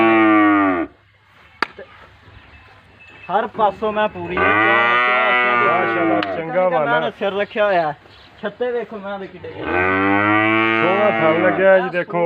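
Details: Nili-Ravi buffalo on sale in Pakistan: three drawn-out, deep lowing calls, each about two seconds with a slight rise and fall, separated by choppy voiced sounds and a soft background of music.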